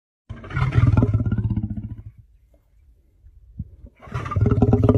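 A lion gives deep, rumbling growls, each a rapid pulsing rasp, with a pause between them.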